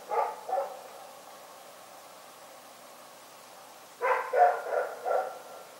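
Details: Rex the dog barking during the night: two quick barks, a pause of about three seconds, then a faster string of four barks close together, with low steady hiss behind.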